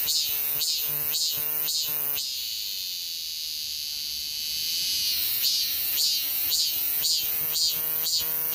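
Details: Cicada calls recorded in 2023: steady shrill buzzing drone beneath bursts of rapid throbbing pulses, about two per second, which break off for several seconds and then return.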